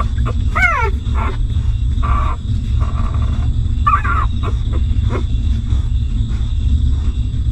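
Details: Newborn puppies of a stray mother dog nursing and suckling milk: several short, high, falling whimpers and squeaks, each a quick downward slide, scattered across the recording over a constant low rumble.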